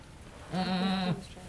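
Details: Goat named Halley Berry at Needham Goat Farm, delivering triplets, during the birth of the second kid; one steady, low, nasal bleat lasting about half a second, rich in harmonics, over quiet barn background.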